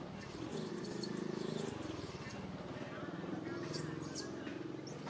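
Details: Young monkey named Rain crying out for its mother Rany: shrill, looping high squeals in quick clusters early on, then a few more later, above a continuous low rumble resembling a running vehicle.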